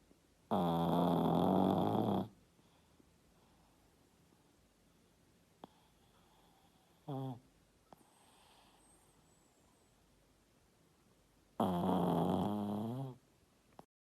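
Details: Snoring Yorkshire Terrier during sleep: two long, droning, harmonic snores about ten seconds apart, with a brief short snort between them in a quiet room.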